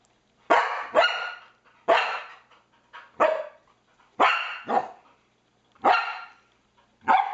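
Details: Household Norwegian Elkhound reacting to a PlayStation 3 pointer with bursts of loud, rough barks, often paired in quick doubles, roughly a dozen across seven seconds.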